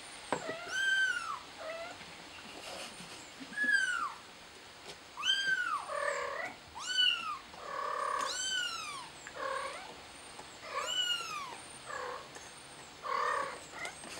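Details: Stranded kitten calling for help with a persistent series of loud, rising-then-falling meows every second or so, interspersed with rougher lower cries, over a steady faint high hum.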